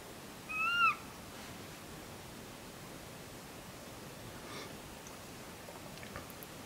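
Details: One short, clear, arched yelp from a red fox at Conifer, Colorado, heard in the morning, then only quiet hiss and a few faint clicks.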